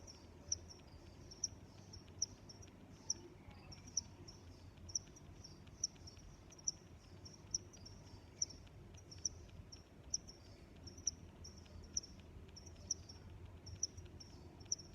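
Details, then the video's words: Crickets chirping: high, sharp pulsed chirps repeated roughly once a second in a steady rhythm, with fainter overlapping chirps between them over a low background rumble. "Sounds of Crickets"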